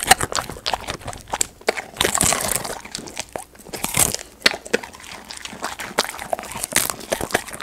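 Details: Snack time for a pet golden retriever, recorded close up for ASMR: sharp crunches and crackles, irregular bites with short wet chewing pauses, all in a small quiet room.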